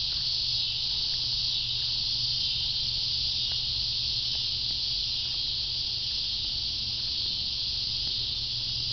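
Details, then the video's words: Relentless high-pitched cicada drone, even and continuous, with a steady low hum beneath and occasional faint clicks. "Cicadas: part 2"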